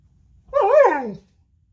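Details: Purebred male Alaskan Malamute howling and crying while playing in bed in the morning: a single wavering, harmonic cry of under a second that swells, wobbles, then slides downward at the end, in a quiet room.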